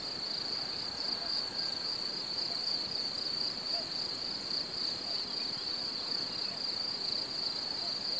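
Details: Cicadas calling on a summer meadow: a bright, steady two-tone buzz with a fast, slight pulsing flutter, sustained without pause over a soft, even background hiss and no wind.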